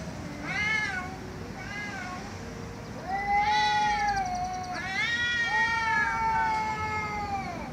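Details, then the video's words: Cats meowing loudly: several drawn-out, harmonic meows, some short and some long with rising-then-falling pitch, overlapping one another against a steady low background hum. "Cats Meowing Loudly"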